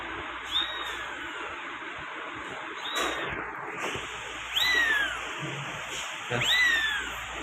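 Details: Persian kitten, one of a litter of males and females. It gives thin, high mews that slide downward, three clear ones spaced a couple of seconds apart, with a person speaking Urdu nearby and faint rustling.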